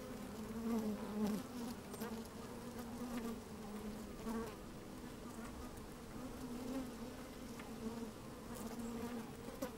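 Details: Inside an opened beehive on a fine sunny day, honey bees working with the microphone slid down among them; even layered hum with brief louder buzzy swells and faint crackles of bees crawling.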